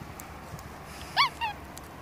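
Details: Pet female capuchin Masyanya on her third birthday, 7 October 2016, warm summer-like weather, with cake and candle: two brief, arched, tonal notes, the first louder and rising then falling, the second shorter, over faint background noise.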